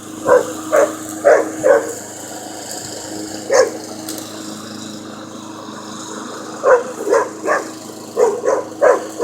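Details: Puppy Jasper squares off against a lawn mower, barking in bursts: a run of four rapid barks, a single bark, a pause, then a flurry of about seven more, all over the mower's continuous droning motor.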